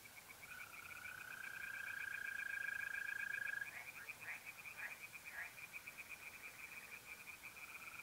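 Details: Tree frogs singing by a pond at night in mid-April in North-East Italy: fast, evenly pulsed croaking runs throughout, while a mole cricket's steady, pure trill plays underneath for the first few seconds.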